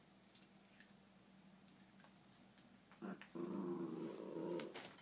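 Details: Playing puppies, one giving a low rumbling growl lasting over a second after a quiet stretch of scuffling and soft knocks.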